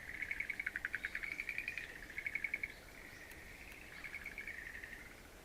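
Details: Frogs calling in a mountain wildflower garden on 11 April 2013: bursts of rapid pulsed trills near the upper-middle pitch range, each lasting about a second, then a softer continuous trilling chorus.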